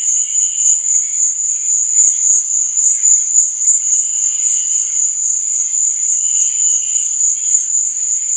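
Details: Cricket chirping in the night, heard as a constant high-pitched ringing with rapid rhythmic pulsing; softer, lower insect chirps drift in and out behind it.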